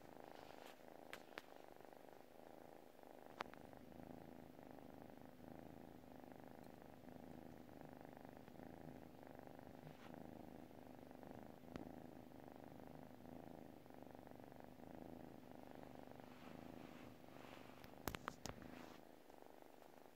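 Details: Sleeping cat purring steadily indoors, a continuous low rhythmic rumble pulsing through the whole stretch, broken by a few faint clicks near the start and a couple of sharp taps toward the end.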